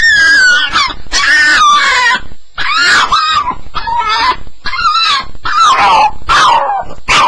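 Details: Staffordshire Bull Terrier on its first night, making sounds during a nightmare: loud, high drawn-out whines that slide downward in pitch, in a series of separate cries roughly every second, with short gaps between them.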